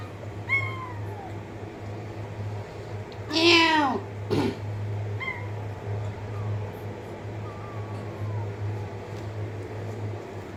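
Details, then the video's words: Cat meowing indoors: several short rising-falling meows and thinner high mews, with a loud burst of handling noise near the middle, a person coaxing, and a steady low mains hum throughout. "cat meowing sound effect"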